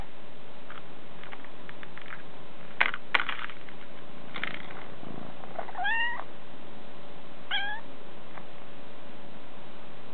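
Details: Bengal kittens, two sisters, relaxing indoors after a snack; two short rising-then-falling harmonic meows around six and seven and a half seconds, with soft scattered clicks and rustles earlier and a steady low hum throughout.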